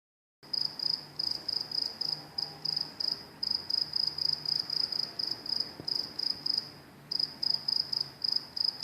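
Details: Crickets calling beside train tracks: a high, narrow-pitched chirping pulsed in rapid trills, about three to four bursts per second, steady with a couple of brief pauses; faint low rumble underneath.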